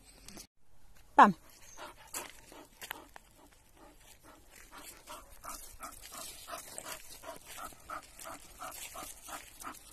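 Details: An elderly male Bull Terrier gives one sharp, loud yelp, then settles into quick, steady rhythmic huffs.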